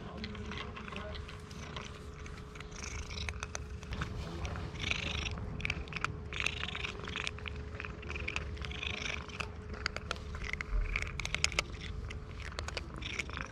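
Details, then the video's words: Cherry, a stray cat in Istanbul, purring loudly while she eats food just given to her; a steady low rumbling purr runs throughout under crunchy chewing clicks, with a faint constant hum in the background. "Cherry cat purrs loudly even while eating"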